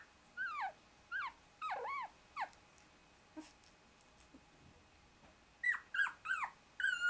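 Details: Twenty-four-day-old Shiba Inu puppies, a brother pinned under two sisters and trying to wriggle free; a run of short, high, arching whimpers repeated about every half second, a pause with soft rustles, then more rapid yelps.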